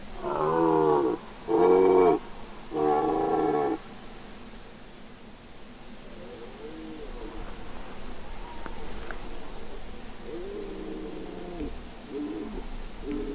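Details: Red deer stag bellowing during the rut on Mont-Lozère in the Cévennes National Park, 2016: three loud, deep, harmonic-rich roars in quick succession, each about a second long, then softer, more distant moaning roars trailing off.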